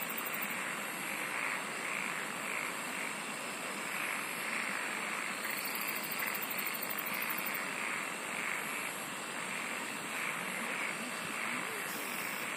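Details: Insects singing in a dense, unbroken chorus: a steady hiss with a pulsing band in the middle register, and bursts of very high, rapid ticking trills that come and go every few seconds.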